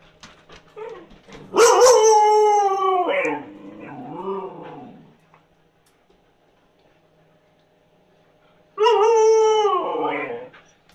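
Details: Siberian Husky begging for food that is cooling: a loud drawn-out howl with rising then wavering harmonic tone around 1.5–3 s, softer yodelling moans after, a pause, then another strong howl near 9 s.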